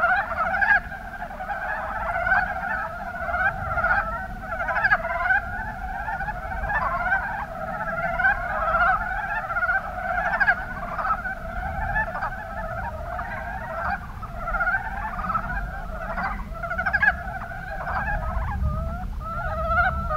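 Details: Chorus of Mountain brown frogs, Kuma Basin, Kumamoto Prefecture, Japan: many overlapping short, throaty clucks, closely stacked and repeating continuously, with a low rumbling background beneath.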